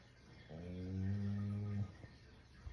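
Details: Shiba Inu asleep, giving one drawn-out snore of about a second, a low steady buzzing tone with rich harmonics, then a short quiet rustle afterward.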